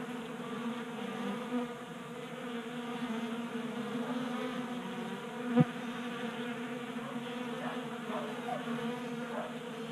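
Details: Swarm of honey bees at a 3D-printed bee feeder in a Colorado garage, mild January weather. Sustained buzzy hum, a single sharp knock midway, and wavering pitch sweeps of bees flying past near the end.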